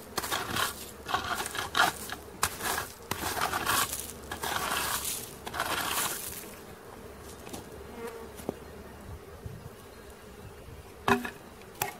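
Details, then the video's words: Bee swarm being caught: a steady low hum of many bees runs beneath loud bursts of crackling, rustling handling noise, which ease off in the second half and leave the droning buzz clearer. "Catching Bees start to finish bee swarm"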